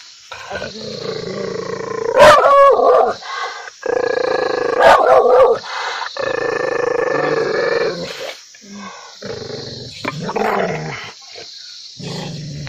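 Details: Angry dog alternating sustained snarling growls with sudden sharp barks, several separate growl phrases with short gaps between.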